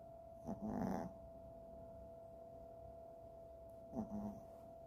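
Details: Freja, a Chihuahua asleep, lets out two short gravelly snores roughly three seconds apart; a low electrical hum runs throughout.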